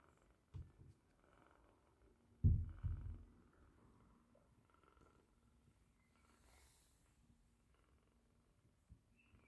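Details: Roxy's five British Shorthair kittens feed indoors on 15 August 2021, giving a faint, deep, even purr throughout, broken by a couple of short bumps of handling noise near the start.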